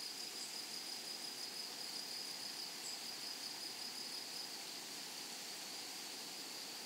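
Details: Meadow grasshoppers sing a high, pulsed sizzle that carries on for about four and a half seconds, then drops away. Only diffuse rustling background noise remains after the song stops.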